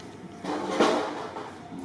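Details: A young orphan monkey gives a brief, wavering, sob-like cry, calling all day for another monkey until a different monkey comes to comfort it.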